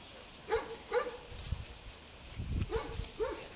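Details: Weimaraner family out walking on a sunny day: three-month-old puppies with grown dogs, including their father, full of energy. Four short, mid-pitched yelping barks in two pairs, over a steady high hiss and a few low thumps.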